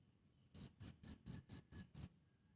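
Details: One cricket chirping: seven bright, high pulses repeated steadily about four per second, forming a single short burst framed by quiet.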